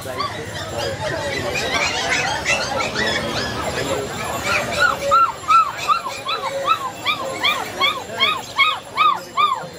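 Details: Puppies for sale at Galiff Street pet market in Kolkata, West Bengal, on 4 September 2022; after a stretch of talk and market noise, high arched whines and yelps repeat about twice a second, over background chatter.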